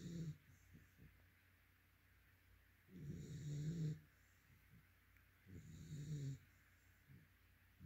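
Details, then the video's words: A yellow-white Labrador Retriever snores in its sleep. Low, throaty rumbles last about a second each, separated by two to three seconds of soft breathing. "Yellow | White Labrador Snoring"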